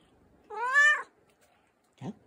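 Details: An affectionate American Shorthair cat (Felis catus), picked up and cuddled in the morning, gives one clear, bright meow that rises then falls, followed by a brief low chirp.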